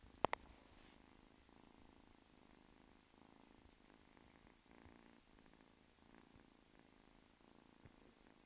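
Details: Purring from Simba, a kitten roughly 8-9 weeks old, a soft continuous rumble in pulsing waves after two sharp clicks at the start.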